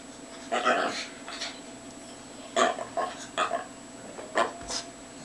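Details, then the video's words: Male Lhasa Apso lying in the sun in a playful happy fit, giving a string of short, rough growly yips and grunts at irregular intervals, roughly every half second to second, over a constant low hum. "Lhasa Apso , Bobo, Having a "Happy Fit." He is a funny dog!"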